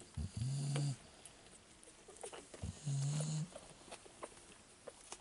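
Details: Young male Staffordshire Bull Terrier, fawn, from the 34th litter at Staffordland kennel, 19/10/2018. Two deep, even snores about two and a half seconds apart, with quiet rustles between.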